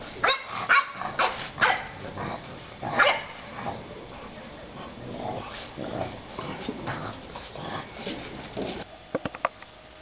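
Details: Bulldog puppies at play in a garden in spring 2012, a girl joining in; a cluster of sharp yips and barks opens, followed by quieter scuffling and a few clicking taps near the end.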